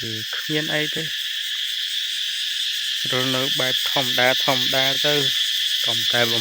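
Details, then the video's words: Morning cicada chorus in rural countryside as New Year approaches: a continuous shrill buzzing hiss fills the background while clusters of lower, rapidly pulsed harmonic calls come and go in the first second and from three seconds on. "ស្ដាប់សម្លេងរៃយំពេលព្រឹក រៃយំព្រោះជិតចូលឆ្នាំ"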